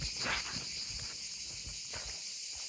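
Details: Cicadas near the sea around Montpellier in early July sing a steady, high-pitched, buzzing drone in the evening, with faint footsteps of a walker below.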